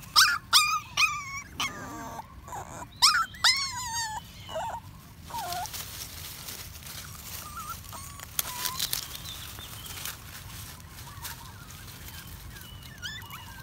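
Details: In the woods, a puppy happy on its walk squeals in quick, high-pitched whimpers for about five seconds, followed by sparse, fainter whines over a steady outdoor hiss.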